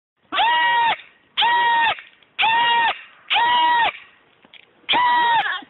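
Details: Baby goat screaming, slowed to slow motion: five long, loud, wavering bleats, each lasting about half a second and repeated roughly once a second, with strong layered tones.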